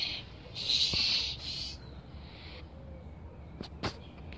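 An angry opossum gives a harsh, breathy hiss in short bursts, then falls quiet.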